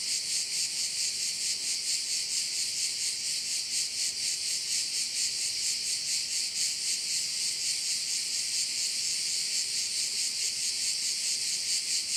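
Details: At one of Korčula's bays, crickets keep up an unbroken high-pitched sizzling drone that swells and fades about twice each second, steady for the whole stretch.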